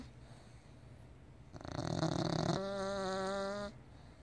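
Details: Snoring from Rubble, a pet: a quiet start, then a rasping inhalation that swells and turns into a steady, nasal, whistling tone for about a second before stopping abruptly.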